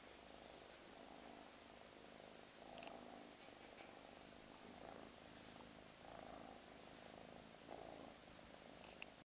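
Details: Kristoff, a lighter gray Russian Blue mix kitten (male, white bib and socks), bottle-fed rescue, purrs steadily while being cuddled: a low continuous rumble with a soft rhythmic throb.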